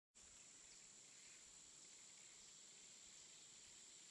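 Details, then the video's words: Insects calling in a jungle in the afternoon: one steady, very high shrill whine that starts abruptly and holds unbroken at an even level, over a faint hiss of background ambience. "ジャングル 午後 雰囲気 虫が鳴く"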